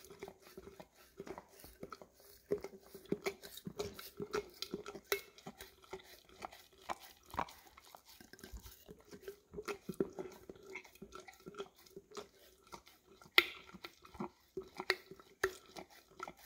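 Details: English cream Golden Retriever indoors licking peanut butter from an almost empty jar, recorded on a Samsung Galaxy S10e; scattered wet smacks and sharp clicks with occasional jar clinks against a faint steady hum.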